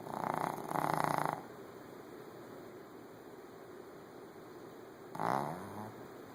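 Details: Sleeping Shih Tzu dog snoring: a rough, raspy double snore at the start, a quiet pause of several seconds, then another shorter wheezy snore that trails off into a low rumble.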